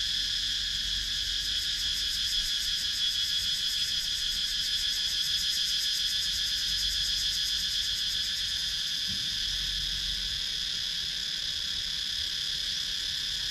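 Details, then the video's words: Cicadas calling in wooded countryside in Sakon Nakhon, Thailand, recorded on a GoPro Hero 9: a dense, continuous high-pitched buzz layered in several bands, with a faint rapid pulsing throughout and steady rural ambience beneath. "Relaxing Sounds in Nature – Cicadas Sound"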